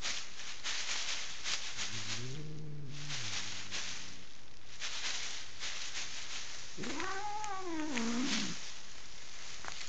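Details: Female house cat in Kitchener, Ontario, Canada, furious at being pushed off her owners' bed and wary of strangers, gives a low wavering growl then a long, harmonic-rich rising and falling caterwaul, over constant rustling and handling noise.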